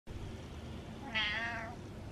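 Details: Happy male domestic cat giving a single drawn-out, rising then falling meow lasting about half a second, against a quiet indoor background.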